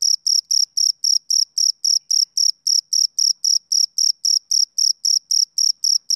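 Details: Male cricket chirping on a summer evening: steady high-pitched pulses, about four per second, each a short bright trill with a clean tone and faint overtone, evenly spaced, no other sounds.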